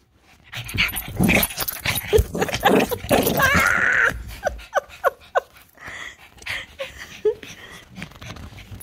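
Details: A Shih Tzu going frantic gives a rapid run of barks, snorts and whiny, wheezy yaps.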